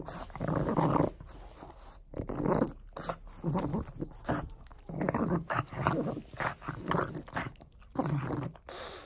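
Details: Pug playing with a bone, giving low rumbling growls in bursts about a second long, broken by short pauses and snuffling, heard indoors at close range.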